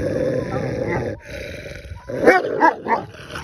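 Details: Akbash dogs, siblings, in a hierarchy fight: harsh continuous snarling growls, then a burst of sharp barks and yelps near the end, with a person exclaiming.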